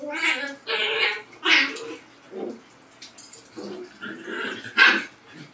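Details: Labrador versus Husky, with the dogs trading drawn-out, tonal barks and vocal, talk-like yowls in a rapid back-and-forth over a few seconds.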